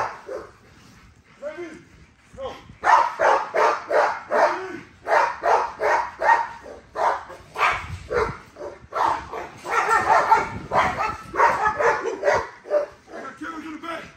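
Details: Female XL ghost tri American Bully named Nyla being exercised; after a quiet start with a voice, fast repeated bark-like bursts run for about ten seconds, a couple per second, with short pauses between runs.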